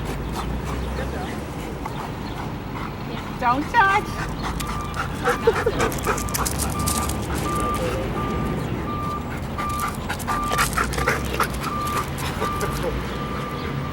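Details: Sirius, a wildlife detection dog candidate under evaluation, gives a few short whining, yelping bursts early on, then quieter sounds, over human speech, a steady low engine hum and a repeated high electronic beep.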